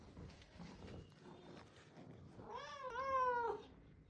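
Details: Orange house cat, a pet male, lets out a long meow near the end, about a second long, rising then dipping in a bent harmonic sweep, after quiet room sounds as its owner offers a small amount of food.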